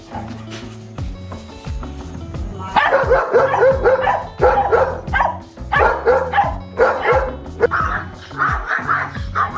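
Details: Loud alert barking from a dog warning of danger or strangers; after a few seconds of music, clusters of rapid, gruff barks break out in uneven volleys, with music playing throughout.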